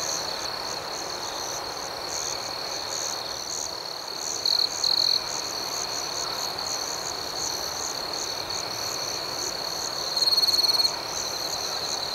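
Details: Crickets at night: a steady, high, shimmering chorus with a faster pulsing layer above, broken by short, louder trilled bursts around four and a half and ten seconds in.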